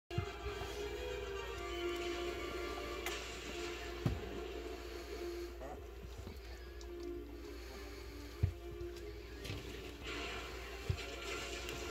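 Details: Background music and faint indoor talk run over a steady low hum, broken by a few sharp knocks, with no animal voice.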